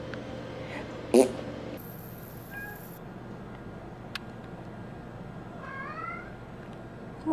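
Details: Bean, a female pet cat, meowing non-stop at the door during hard rain; two faint, brief rising meows with quiet indoor background hiss and a sharp knock.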